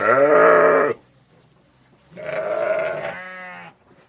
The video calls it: Sheep Baaing - sound effect - no copyright (HQ)